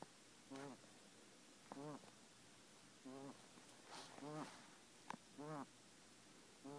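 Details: Breathing trouble in Kenny, a male pet guinea pig: short, nasal, buzzing squeaks on every breath, roughly one each second, with a quiet room behind.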